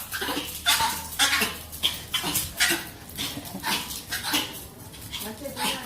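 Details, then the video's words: Female pet dog reacting to a strange sound by spinning and making her annoying noise; rapid, irregular run of sharp yips and barks, about two a second, with a person speaking Spanish in the background. "Most annoying dog noise."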